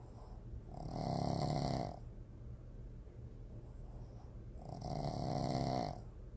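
A Boston Terrier snores in slow, rasping breaths, each lasting about a second.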